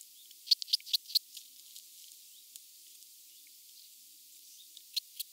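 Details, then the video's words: Red band-winged grasshopper recorded at Mörnsheim, Germany, on 14 July 2023: a short run of sharp, broadband ticks in quick succession, then near silence, then two more ticks near the end. "Oedipoda germanica -- Rotflügelige Ödlandschrecke -- Red Band-winged Grasshopper"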